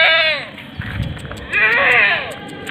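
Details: Female Etawa goat, seven months old and 70 cm tall, letting out a quavering bleat, a brief pause with a few human sounds, then a longer, louder wavering bleat.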